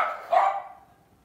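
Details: A single bark from a pet Lhasa Apso dog, short and sharp, trailing off quickly into silence.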